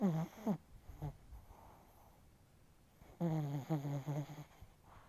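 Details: Chihuahua deeply asleep, snoring hard: low, throaty snores with a tonal, groaning quality that slides downward in pitch, one at the start and a longer run after a quiet gap.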